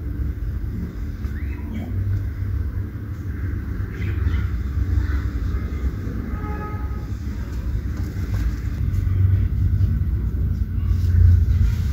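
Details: A loud, continuous rumbling roar like a passing train, dominated by deep low tones with no animal calls audible.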